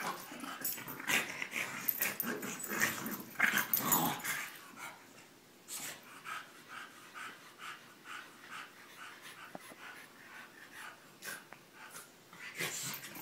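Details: French Bulldog and English Bulldog wrestling indoors: a dense burst of growls and wheezing snorts for four seconds, then quieter panting and scattered grunts.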